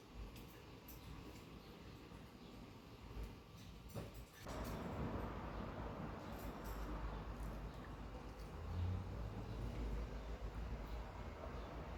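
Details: A cockatiel sits near a cool fan in hot weather, but only steady low rumbling fan-like noise is heard, growing louder after about four seconds, with no bird calls.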